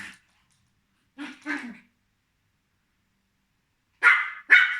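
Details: A nine-month-old Pomeranian Spitz barks while playing with a three-month-old Maine Coon kitten. There is one short yap, then a quick pair of sharp barks, then two louder, harsher barks close together near the end, with silence between.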